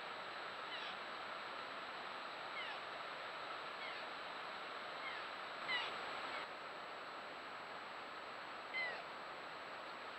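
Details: A roe deer fawn, filmed on a trail camera, gives thin, high, whistled bleats every second or two, calling for its mother; the caller may be its twin off camera.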